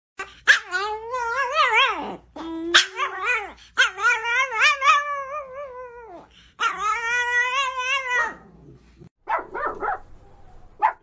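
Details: Tiny Chihuahua puppy complaining to its owner indoors: long, wavering, tonal whines and yowls rising and falling in pitch, delivered in drawn-out bursts of a second or more with short breaks, ending in a few softer squeaks.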